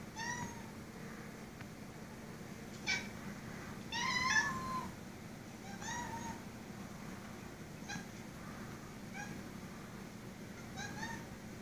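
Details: A two-year-old Siamese cat indoors, talking to a spider on the ceiling, gives a string of short, chirping meows with pauses between them, over a low indoor hum.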